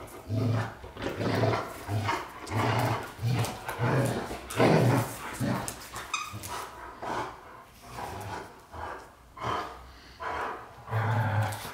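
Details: Deep rumbling growls and short barks from white Golden Retrievers James Bond and Luna, coming in fairly regular pulses about once a second, with a person's voice close by.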